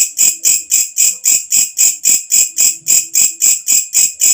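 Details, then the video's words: Walang kecek, a katydid heard when night comes, its loud call prized as a songbird tutor, gives rapid rhythmic rasping pulses, about sixteen in four seconds, high-pitched and metallic, over soft low background tones. "walang kecek masteran untuk semua jenis burung||suara asli alam"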